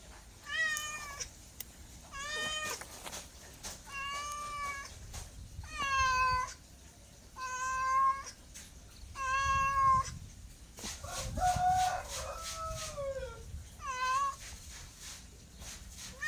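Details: A house cat gives a steady series of meows roughly every one and a half seconds, each a bright, tonal cry with a slight rise and fall, one later call wavering and drawn out, faint clicks in between.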